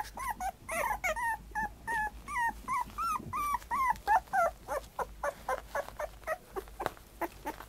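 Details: Black-and-tan puppy giving quick, thin whines and yips in a fast uneven stream, several each second, pitch arching up and down, growing softer toward the end.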